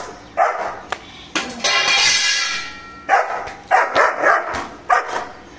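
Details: Mr. Bro, a German Shepherd, barking aggressively while guarding: a few sharp barks early and late, split by a long loud hissing rush of noise in the middle.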